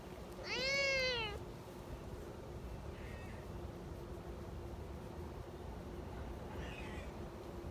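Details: A young community kitten, happily spending time by a milk-tea coloured cat, gives one loud clear meow that rises and then falls, followed by two much fainter, softer mews over a steady low hum.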